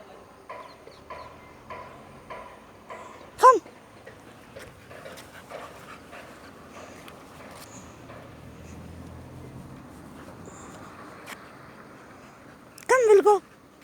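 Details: Boxer dog meeting a stranger: soft pulsed sounds, a sharp sudden yelp early on, quiet stretches, then a longer wavering whine-like yelp near the end.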